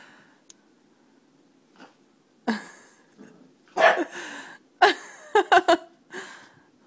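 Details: Seven-week-old puppy Venti meeting her reflection in a mirror for the first time, indoors, giving short, sharp, high yips: one, a pause, then a quick cluster of three or four near the end, with soft breathing between.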